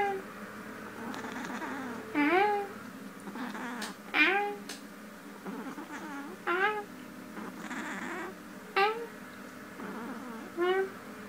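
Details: Sleeping female cat murmuring indoors: brief chirping meows that sweep upward then drop, spaced about two seconds apart, softer and clipped, with faint rustling and a constant background hum.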